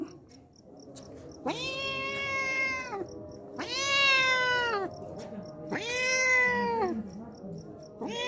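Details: Hungry homeless cat that comes daily for milk, meowing loudly: long drawn-out harmonic meows, each over a second, rising then falling slightly, repeated about every two seconds, four calls in all.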